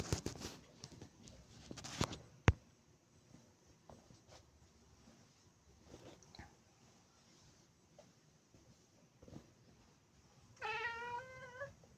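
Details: A Maine Coon bird-watching at its favourite window spot gives a brief wavering, chirping trill after scattered taps and clicks.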